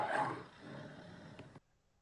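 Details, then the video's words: Lion roar from a kids' animal-sounds quiz: a loud, rasping burst at the start that eases into a lower, rougher growl, cutting off abruptly near the end with silence after. "చెప్పారా? ఎస్, ఇది సింహం, లయన్. ఎలా అరుస్తుందో వినండి."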